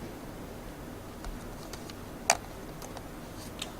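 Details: A low steady hiss fills the background, broken by scattered faint clicks. One brief sharp tick stands out midway, and no animal call is heard.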